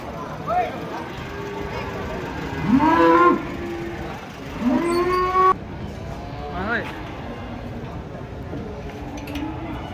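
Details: At a market, three giant cattle rage while being unloaded from a truck; loud moos rise in pitch and then hold, about four calls spread over ten seconds, over a constant background of market noise.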